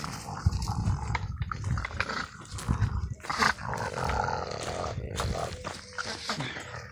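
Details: Male French Bulldog playing with a bottle and turning aggressive when someone tries to take it from his mouth: a low, rough, continuous rumbling growl with short surges, mixed with plastic crinkling and knocks from the bottle.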